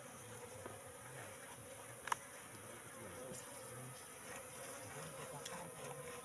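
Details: Wild Asian honey bees in a trap box they occupied three months ago; an even, low humming drone with one sharp click of handling early on.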